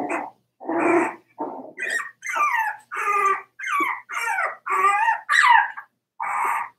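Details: Cavalier King Charles Spaniel puppies, four weeks old, in their indoor pen give a run of about nine short, growly yips and squeaky little barks, several bending up then down in pitch, separated by brief pauses.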